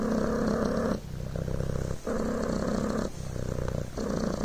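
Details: Steady low purr from Coco, a Devon Rex kitten, the rumbling buzz shifting between louder and softer phases about once a second as the cat breathes in and out.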